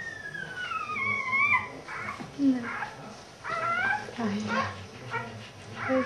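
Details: Samoyed puppies with their mother, making thin descending whimpers and high squeals, several overlapping in quick succession, with a woman speaking softly in German nearby.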